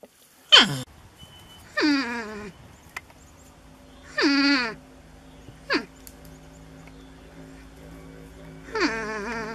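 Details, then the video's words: Wild North American porcupine discovered in a shed, vocally protesting its reluctance to leave. Five loud, whining cries with stacked harmonics, each sliding downward in pitch, come at uneven gaps of one to three seconds over a low steady hum. "Porcupines making strange noises"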